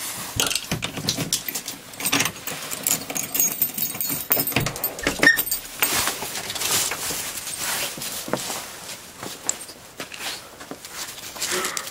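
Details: Jangling, rattling noises with scuffing and crunching, and no clear animal voice.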